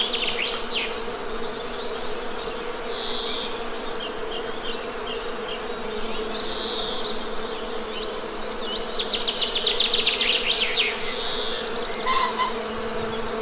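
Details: Constant droning buzz of honey bees, with scattered bird notes and a rapid, rattling bird trill in the middle section.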